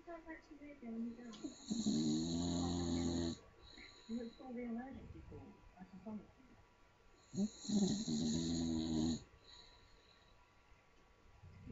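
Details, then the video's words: Sleeping little Staffordshire bull terrier snoring very loud, two long grating snores about six seconds apart, each a buzzy rumbling breath near two seconds long with a hissing overtone. Soft breathing between them. "Cute little Staffordshire Bull Terrier snoring very loud."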